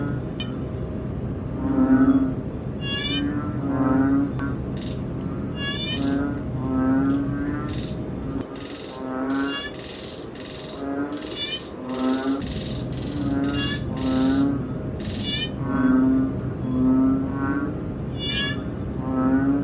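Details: Banded bullfrog (ễnh ương) calling in a close-up view. Repeated low moaning notes come every second or two amid many overlapping rising, pulsed frog calls. The background turns quieter in the middle, then the chorus swells again.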